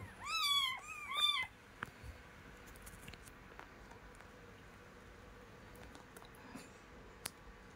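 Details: Domestic cat, a mother with her kitten, giving two clear, strong meows in quick succession, each swelling then dropping. Near silence follows, broken by a few soft clicks.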